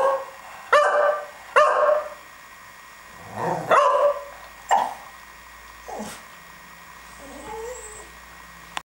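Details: Pet dog barking and rolling around; a few sharp barks early, then softer, scattered yips and whimpering sounds fading out with faint background noise.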